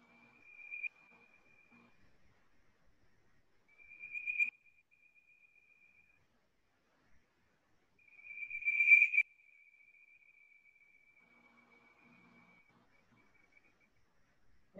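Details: A bird-voiced treefrog from Georgia gives three bursts of smooth, non-raspy, bird-like whistles, each a fast run of one repeated note, the last the longest. Nothing else is heard.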